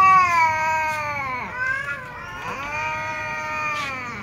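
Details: Pitiful meal-time meowing from a group of domestic cats, including kittens, a tom, a ginger and a silver cat: sustained, whiny meows that bend downward, then swell again into long, pleading cries.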